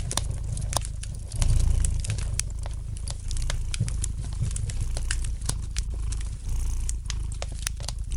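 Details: Domestic cat purring gently beside a fireplace: a low, steady rumble swelling and easing with each breath, under frequent sharp pops and crackles from the burning fire indoors.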